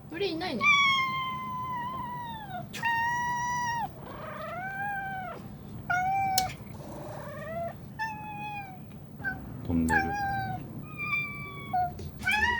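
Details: House cat meowing insistently indoors, a string of long arching meows and shorter chirp-like calls, loud and close, with a person speaking softly between some calls.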